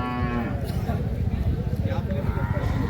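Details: Cattle at the Kashti bullock market, where young bulls are offered for sale. A brief, deep, harmonic lowing opens the clip, then fades under loud talk and chatter from the trading crowd.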